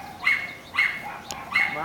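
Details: Sealyham Terrier Ben Low, a retired multiple best in show dog, chasing the kennel cat for fun in the kennel; three short high yips or whines spaced about every 0.6 seconds.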